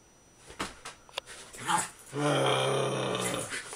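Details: A female Jack Russell Terrier in extreme rough play with another dog, cutting and snapping: scuffling thumps and a few short huffs, then a sustained rasping growl for over a second, in a small indoor room.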